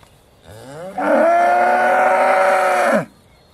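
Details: Aussie Red dairy cow in December 2012, just before milking, giving one long loud moo of about two seconds with a steady, strongly harmonic tone and a rising start.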